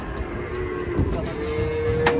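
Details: Pegon cattle, one of two giant animals of nearly one ton each, moo amid a busy crowd; a low drawn-out lowing rises under steady background chatter and vehicle noise.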